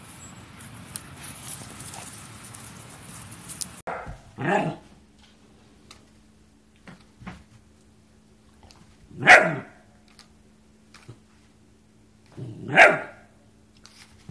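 A German Shepherd gives a few loud, deep, spaced barks after an opening stretch of hiss.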